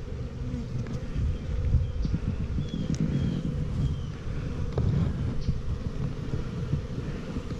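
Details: Honey bees at a new hive, 28 September 2018, where the queen carries a red dot: an unbroken low drone that stays even across the clip, with faint clicks scattered above it.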